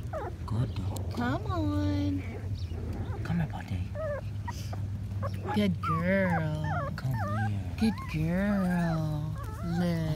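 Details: Young Patterdale Terrier puppies, five weeks old, playing in a PVC earth tunnel, give many overlapping squeaky whines and rising-falling yelps, some drawn out and warbling, over a constant low hum and lower murmuring.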